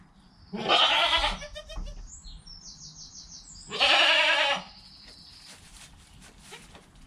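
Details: Newborn goat kid within its first hour of life, beside its calm mother, recorded on a GoPro: two loud, harmonic bleats about three seconds apart, each lasting under a second, with faint high squeaks between them.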